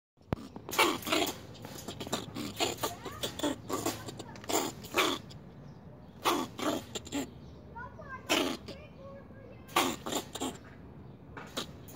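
An angry fox squirrel gives harsh, raspy bursts of scolding chatter in irregular runs.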